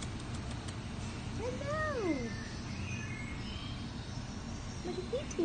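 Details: Tiny, fluffy black-and-white royal flush Havanese puppies playing; one gives a drawn-out whine that rises then falls over about a second, followed later by a short squeak, over a steady low background hum.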